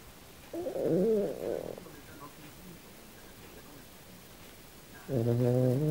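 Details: Kym, a female Australian silky terrier pet, snoring while she sleeps and dreams: two low, harmonic groaning bursts, the first lasting over a second and the second starting near the end, with a quiet stretch between.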